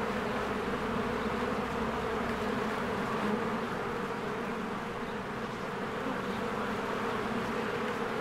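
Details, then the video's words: Spring beehive with swarms of honeybees working and flying around the entrance. A continuous, thick buzzing hum with a gently wavering loudness and no pauses. "1 Hour of a Beehive ASMR"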